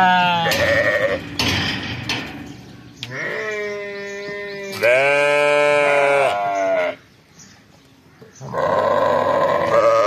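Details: Lambs of the fall season bleat on a sheep farm, giving a string of loud, quavering baa calls, each lasting one to two seconds, with one long drawn-out bleat in the middle and a short quiet pause near the end.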